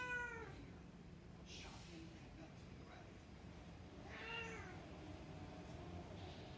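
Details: Burmese cat indoors wanting to wake the baby gives a short falling meow at the start and another bent, wavering meow a few seconds later, with quiet room noise between.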